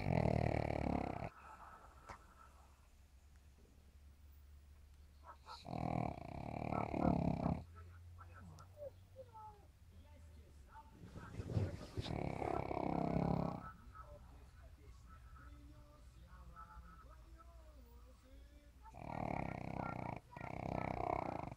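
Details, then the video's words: Pug asleep and snoring, with loud rasping, rumbling snores returning about every five to six seconds and quiet breathing sounds in between, indoors. "мопс храпит"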